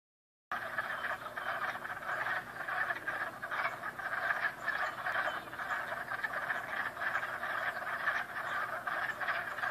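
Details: Many frogs croak together in a dense, continuous chorus of rough pulsed notes that overlap without pause; no other clear sounds.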